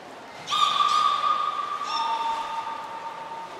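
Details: Beluga in a training session at Nagoya Port Aquarium, 16 March 2024, with the whole group taking part. Two sustained, flat, tonal whistles with rich overtones, the second slightly lower in pitch than the first.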